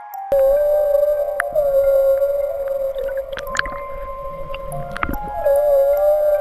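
A humpback whale's song: a long, wavering tonal moan held steady, with background music.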